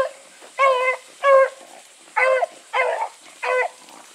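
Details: Bluetick Coonhounds running together with another dog: five short, tonal, harmonic baying yelps, each about a third of a second, spaced irregularly over four seconds, with a faint hiss between them.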